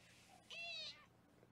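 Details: Foster kitten on a live kitten cam in Los Angeles, indoors during weighing, gives a single short, high, thin mew that bends slightly upward, over a quiet room hum.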